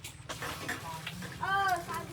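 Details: A cat gives a single short meow that rises then falls, lasting about a third of a second, heard among people talking nearby indoors.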